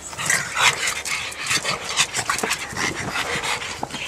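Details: A pug breathing in quick, breathy rasps, irregular broadband huffs with occasional faint whimpering tones, close to the microphone indoors.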